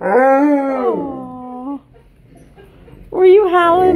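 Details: Malamute and Blue Bay Shepherd howling together indoors: a strong, slightly arching howl lasts almost two seconds, then quiet, then a sharp rising howl bursts in near the end.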